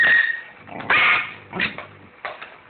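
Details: Pet dog arguing over food indoors; a thin high whine opens, followed by short yelping bursts, with a human voice speaking in the background.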